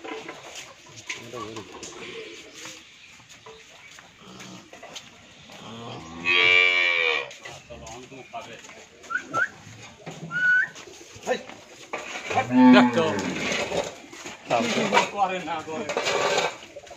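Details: Friesian heifers, a pair about two and a half months pregnant, at a dairy farm in Bhangura, Pabna, Bangladesh; loud drawn-out moos with rich harmonics around 6 and 12 seconds and again near the end, with chickens clucking and brief voices.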